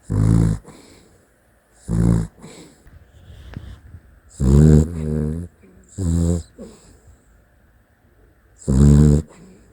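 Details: Dachshund asleep and snoring: five deep, buzzy, grating snorts at uneven gaps, some doubled, with soft airy breaths in the pauses.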